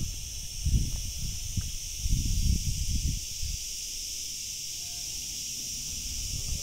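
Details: A dense chorus of cicadas high in the trees makes a steady, high, hissing drone near water, with a person speaking briefly about them being too high to find.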